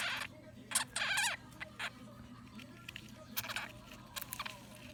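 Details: Blue sapphire dwarf hamster, a pet, defending its food: short harsh squeaks and rasping bursts in quick clusters, with scratchy rustling between them and a steady low hum underneath.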